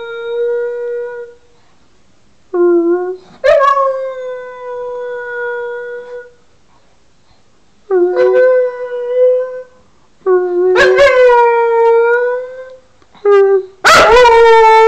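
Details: Wags, a pet dog known for singing, gives a string of long tonal howls, some steady, some sliding upward, separated by short silent gaps, with the last notes louder and rougher.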